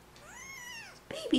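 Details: Baby kitten lets out one drawn-out, rising-then-falling meow lasting most of a second, then a person's baby-talk voice cuts in.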